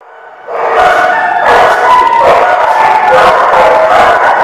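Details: Dogs at The Barking Lot, recorded 29 March 2019, a dense chorus of overlapping barks and yelps starting after a brief quiet lead-in, continuous and loud with mid-pitched tonal cries running through.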